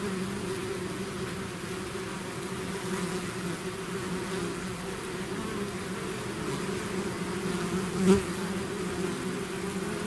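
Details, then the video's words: Honeybee swarm out of its hive, a dense continuous drone with steady bands low and mid, one brief louder buzz near eight seconds as a bee passes close. "bees therapy swarm natural buzzing sound"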